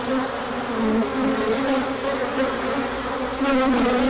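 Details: A swarm of bees circling in a large orientation flight, 24 March 2024, after colder weather gave way to sun. An intense, continuous hum with wavering, sliding tones from passing insects.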